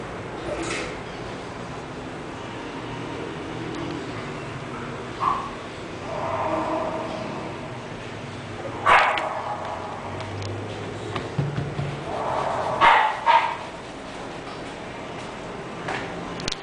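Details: An English bulldog gives a few short, harsh barks spaced several seconds apart, with softer whining and grunting sounds between them over a steady low background hum.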